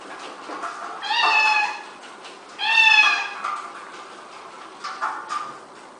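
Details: Pet cat in a compilation of cute, funny cats, uttering two loud drawn-out meows in quick succession, each under a second long and bright with overtones, then brief faint sounds of movement.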